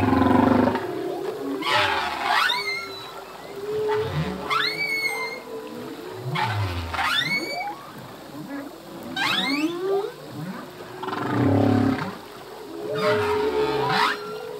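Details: Male humpback whale song in the ocean: rising whoops and high upswept squeals over a sustained droning moan, interspersed with low groans, phrases recurring every couple of seconds.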